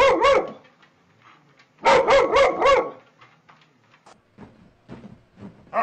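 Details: Siberian Husky puppies, a playful compilation moment: two loud bursts of rapid, harmonic yelping barks, four or five in a row each, separated by softer whines and small squeaks.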